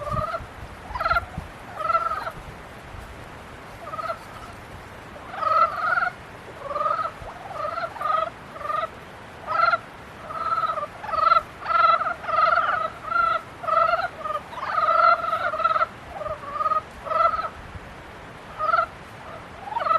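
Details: Frogs calling during the mating period build a dense chorus of pulsed, nasal croaks, bursts repeating roughly every second and growing busier toward the middle.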